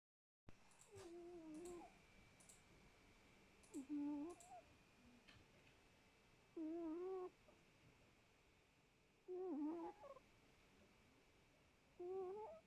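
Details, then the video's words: Domestic cat snoring indoors, a whistled, wavering nasal tone with harmonics at each breath, about every two to three seconds, five breaths with quiet pauses and faint clicks between. "Noirette ronfle bien"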